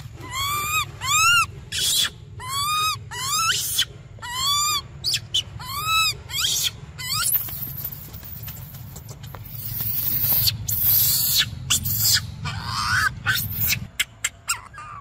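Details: Young monkey desperate for milk, giving a quick series of arched, tonal wails for about seven seconds. Harsh rustling and scraping noise then takes over, with a few faint cries mixed in.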